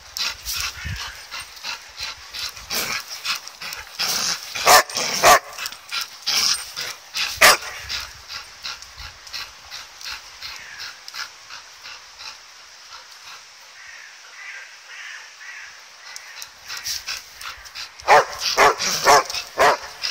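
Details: Jed and Kal, two dogs at play with a ball, give quick high yips and short barks in scattered clusters, busiest near the start and again toward the end, with quieter gaps between.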